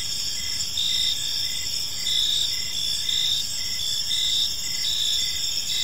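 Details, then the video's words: Evening chorus of crickets in a quiet park, several overlapping shrill tones held almost continuously, with soft rhythmic pulses about twice a second and a low hum of distant noise underneath. "Cricket Sounds in a Peaceful Park"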